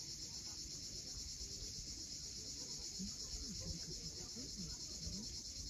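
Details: Cicadas at sunset on the steep coast of Cape Fiolent, Crimea, make a steady, unbroken high-pitched buzzing drone that never pauses, over a low rumbling wash of sea waves breaking below.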